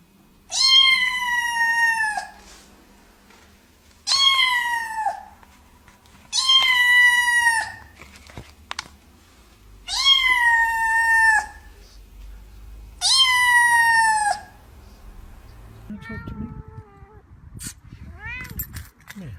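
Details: Angry domestic cat giving long, loud, drawn-out yowls, five in a row, each dropping slightly in pitch at the end, followed by quieter, higher mews and scratchy noises at the close.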